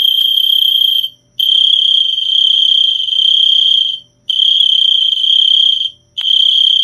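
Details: Loud cricket trill, a sustained high-pitched ringing held for one to two seconds at a time, separated by brief pauses; a thin very high tone at the start, nothing else audible.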